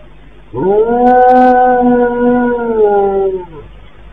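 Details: A dog, said to be giving a warning before the magnitude 7.8 earthquake in Turkey, gives one long, steady howl of about three seconds that rises briefly, holds a mid pitch, then drops away.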